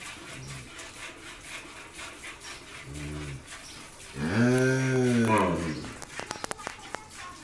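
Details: Jersey-Mundi cross dairy cow in Pabna, Bangladesh, first-time mother with a bull calf; two soft low grunts lead into one loud, rich, slightly falling moo lasting over a second, followed by sharp clicking knocks.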